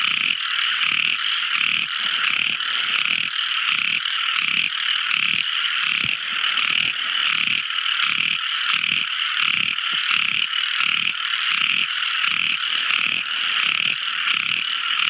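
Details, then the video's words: At night, tiny frogs sing in a loud continuous chorus of buzzy, rapidly pulsed trills that beat regularly about twice a second throughout. "Amazing Sweet Sound Tiny Frog Crying | Never Listening So Beautiful Frog Song! At Night Time!"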